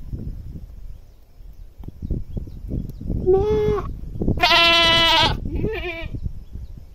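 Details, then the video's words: Goat screaming loudly in a short run of bleats: a thin, steady, wavering cry, then a long, loud, harsh scream of about a second, then a shorter wavering bleat, over rumbling background noise. "Goat Screaming Loudly"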